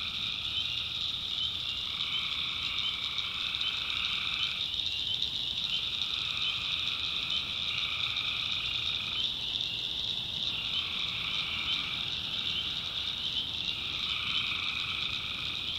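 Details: Tree frogs at night in a North Carolina swamp: unbroken high-pitched chorus layered with lower trilled bursts lasting a few seconds each, alternating in and out across the recording.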